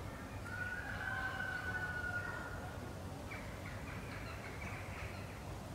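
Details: A Northwestern wolf (Canis lupus occidentalis), kept at Wildfreigehege Nöttler Berg in Saerbeck, gives one long even tone lasting about two seconds, then fainter rising, wavering voices follow over a constant low rumble.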